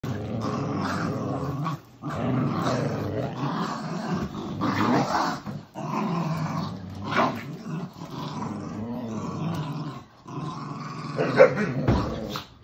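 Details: Husky puppy growling continuously while playing tug of war with a poodle-mix dog indoors, a rough, throaty rumble in long bursts broken by brief pauses near two, six and ten seconds.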